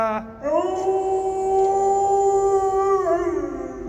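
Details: Kani, a pet dog, gives a long, even howl with a short rising onset, holding a clear note for about two and a half seconds before dipping and carrying on.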